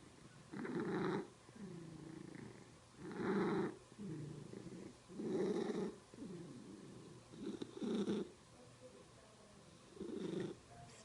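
A domestic cat purrs low and steady, broken by loud raspy bursts about every two seconds.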